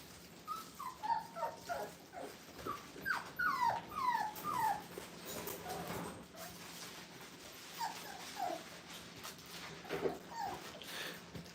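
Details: Five-week-old Brittany puppies in a playpen for the first time, giving high, thin whimpers and yips that slide downward, in scattered bursts of several notes with short pauses between, over a steady low room hum.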